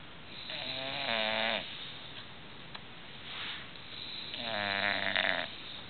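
An English Bulldog snores loudly, with rough, harmonic-rich breaths about every three and a half seconds.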